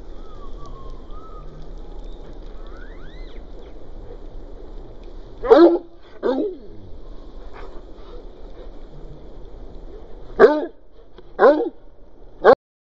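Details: Cocker Spaniel named Willow meeting a garden sprinkler; after a quiet start with faint birdsong, five loud, sharp barks burst out at uneven intervals in the second half, each a short broadband yap.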